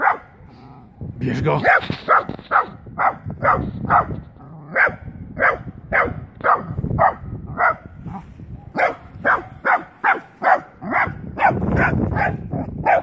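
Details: Wire-haired dachshund meeting a live wild boar for the first time, barking rapidly and repeatedly in a long, steady series, with a man's voice calling the dog at the start and end.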